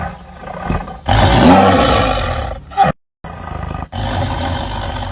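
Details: Tiger giving a loud, rough roar that bursts in after a quiet second and fades over about two seconds, followed after a short gap by a lower, continuous rumbling growl.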